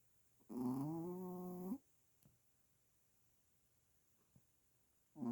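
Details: Pomeranian puppy snoring loudly while asleep with its eyes open indoors: one harsh buzzy rattling snore with stacked harmonics lasting over a second, then quiet with faint clicks, another snore starting at the end.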